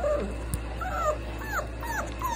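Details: Cane Corso and French Bulldog sharing a rest: a series of thin, quiet whines, each arching up then falling, repeated about every half second against a constant low background hum.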